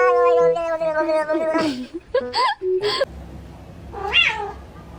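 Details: A cat meows several times, drawn-out and wavering with rich harmonics, the calls bending up and down, the first few overlapping a sustained musical tone, followed by a quieter high rising meow.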